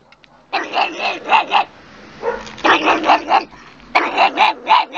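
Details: Dog barking in three rapid bursts of four or five sharp, loud barks each, separated by short pauses, with a quieter bark between the first two bursts.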